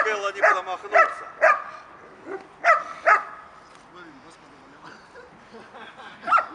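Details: German Shepherd in protection training, practising an active-defensive response while apprehending a decoy: sharp harmonic barks in quick bursts of two or three, fading into quieter rustling and faint voices toward the end.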